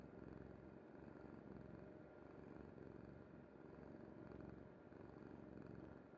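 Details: Pet cat Kuri asleep on a mother's bed, giving a loud, dense, unbroken purr, a deep buzzing rumble pulsing evenly for the whole stretch with nothing else audible.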